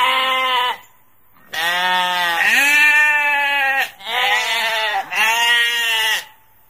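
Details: A single sheep bleat, a short pause, then a longer chain of about four to five wavering, nasal bleats running almost without gaps.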